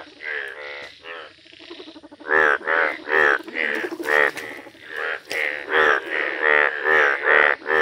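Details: Yellow Indian bullfrog in a village, starting with softer murmuring croaks, then breaking into loud, rapid, buzzy calls of more than two per second, each croak a strong pulse of layered overtones.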